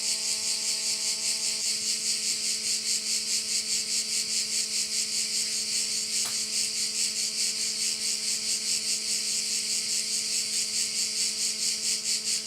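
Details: Korčula bay, Croatia, alive with crickets: a bright, dense buzzing chorus pulsing in regular waves, with a faint low hum and a single short tap partway through.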